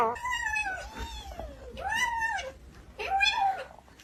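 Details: House cat, filmed around feeding time, utters three arching meows about a second apart, each rising then dropping in pitch, over a steady low indoor hum.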